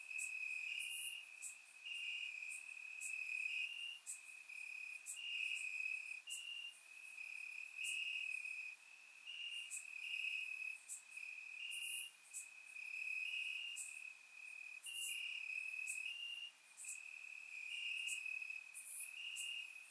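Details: On a warm summer night in Bulgaria, crickets chirp in the grass; a dense, shrill trill rises and breaks in short overlapping phrases, several insects alternating, with sparse bright clicks on top, recorded in surround sound.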